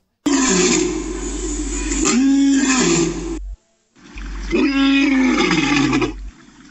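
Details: Lion roaring twice, each a long, deep, harmonic roar that swells and then sinks in pitch. A short gap of silence separates the two roars.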